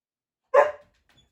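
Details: Samoyed waiting indoors before a favourite deer bone jerky in a stay challenge gives one short, sharp bark that fades quickly, followed by faint small sounds.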